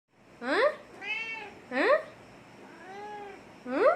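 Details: Pet cat indoors that missed its owner for a month, giving loud rising-falling meows about every one and a half seconds, with softer drawn-out mews between them and a quiet room behind.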